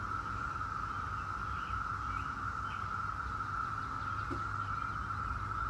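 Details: Steady, unbroken buzz of 17-year Brood X periodical cicadas dominates, one flat sustained pitch, with only faint occasional bird notes and low background rumble.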